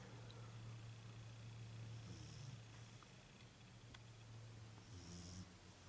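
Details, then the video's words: Sleeping female Beagle indoors, a steady low droning snore held through most of the stretch with faint rasping texture and brief higher hiss bursts near the end. "My Beagle Snoring"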